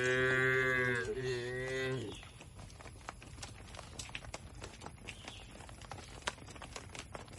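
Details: Cattle eating grass amid an Indonesian oil palm plantation: one long moo of about two seconds with a brief wavering dip midway, followed by quiet rustling and chewing clicks for the rest.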